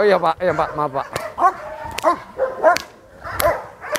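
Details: Fierce sport dog at Vom Almere Dog Training Centre confronting a man during training, giving short, sharp arched barks about every half second, mixed with human speech and sharp slapping impacts.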